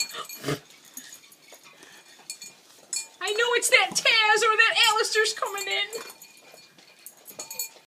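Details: Siberian Husky puppy waiting to eat, giving a drawn-out, wavering, yodel-like whine of about three seconds, with voices talking and light clinking before and after.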